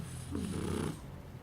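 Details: Puppy sleeping indoors, giving one drawn-out, low rumbling snore lasting about half a second, then quiet breathing.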